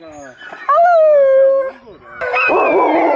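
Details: Older Alaskan Malamutes wearing backpacks on a five-hour hike from home; one gives a drawn-out, howl-like woo that slides downward for about a second, then a rougher, noisier vocal burst, with people talking nearby.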